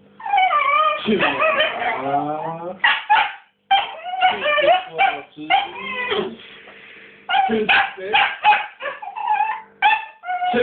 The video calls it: Dog barking for ball